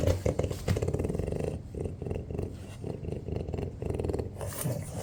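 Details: Indoors, French Bulldogs Ume, Roku and young Yuki vie over crumbled egg; a low, throaty, rattling grunt repeats in steady pulses about twice a second, like heavy snoring, with a faint hiss near the end.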